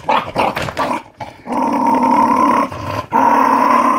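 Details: Jack Russell Terrier growling to guard a newly delivered monthly dog food bag that no one may touch; a steady, rumbling growl that runs in long stretches, broken by brief quiet gaps and a few choppy bursts at the start.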